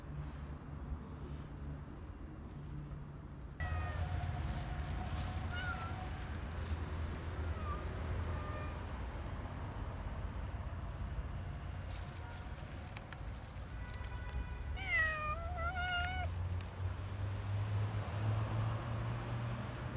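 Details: Stray cats being fed in parks and streets: several harmonic meows, some short and level, a cluster of rising-falling wavering meows around fifteen to sixteen seconds, over steady street rumble and clicks.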